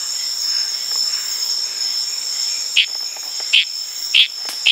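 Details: Wild Litoria frog in Indonesian tropical forest on Tanimbar at night. A constant shrill cricket chorus fills the first seconds before four sharp, evenly spaced chirps break in near the end.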